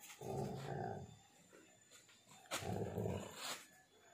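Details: Shoe tug of war between a pitbull mix and a husky, with a dog named Rocky gripping the shoelace. Two harsh, throaty growl bursts about two seconds apart, with softer rumbling in between.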